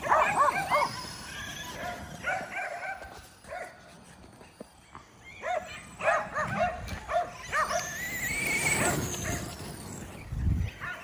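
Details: Kerry Blue Terriers playing with a radio-controlled car: bursts of excited, high yipping barks in irregular clusters, pauses between runs, and a rising motor whine near the end with rumbling movement.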